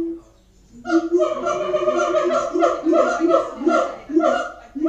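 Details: Captive siamangs at Auckland Zoo, a single low hoot followed after a brief silence by a steady burst of rich, resonant barking notes repeated several times a second.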